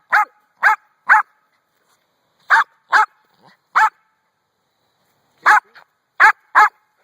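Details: A pet dog barking at a rock while a person urges it on: sharp barks in clusters of two to three, about nine in all, separated by short pauses.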